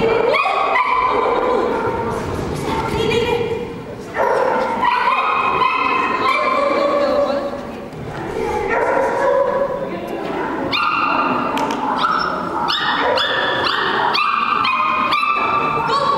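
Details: Poodle yipping and whimpering repeatedly in quick, uneven bursts, high and tonal with bends in pitch, mixed with ongoing human speech throughout.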